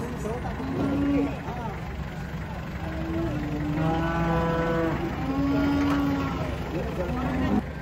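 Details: Long-horned cattle unloaded from a truck at a traditional market in Indonesia. Several scattered moos of varying pitch sound over a steady low rumble of vehicle noise, with people's voices in the background.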